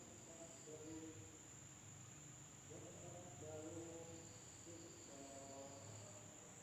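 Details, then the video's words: Village insects calling at night in Indonesia: an even, piercing high drone never pauses, and groups of lower, wavering tonal notes rise up roughly every two seconds. "the sound of insects at night in the village of Indonesia SUARA SERANGGA MALAM HARI"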